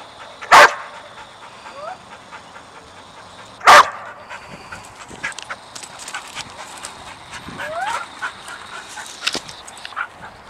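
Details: Sadie the dog, agitated by a squirrel out of sight, lets out two sharp barks a few seconds apart, then rising high whines and yips over quick breathing.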